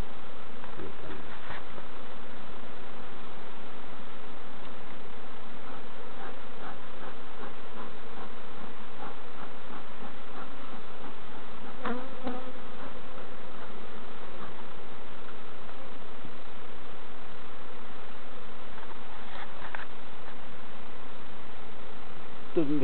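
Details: Honey bees at open hives during an inspection by novice beekeepers at Summerwood Lane Allotments and Community Garden: a steady, dense colony hum throughout, with scattered clicks and knocks from hive handling and faint voices.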